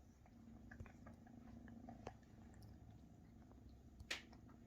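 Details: Maine Coon kittens, almost half their mother's size, purring while mother Luna feeds and cares for them indoors; a low steady rumbling purr fills the clip, with soft clicks and a sharp tap near the end.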